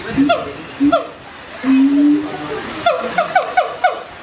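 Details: Siamang gibbons give a few short falling whoops, then a long steady low hoot lasting about a second, followed by a quick cluster of downward-sliding harmonic calls.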